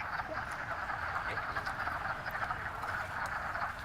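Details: Chorus of wood frogs at a woodland vernal pool: an unbroken mass of low, duck-like clucks and croaks from many frogs, even in loudness throughout, with faint background rumble.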